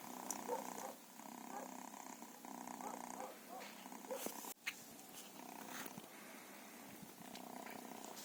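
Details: Quiet purring from feral cats, steady humming pulses that rise and fall in slow breaths, interrupted by a sharp click midway and light rustling.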